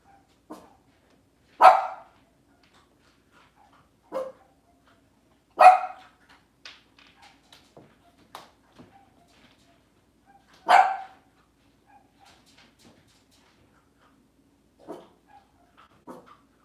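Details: Cavalier King Charles Spaniel barking in a kitchen on a cloudy Monday morning, with four loud, separate barks a few seconds apart among quieter yips and faint clicks.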